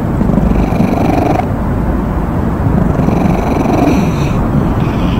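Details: Purring from a stray cat, a steady deep rumble running without a break, rough and even in texture, with small rustling noises above it.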